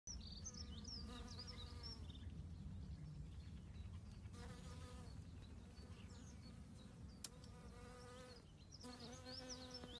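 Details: A western honey bee's droning buzz rises and fades in bursts as it flies close, foraging on bramble in bramble season, with birds chirping faintly.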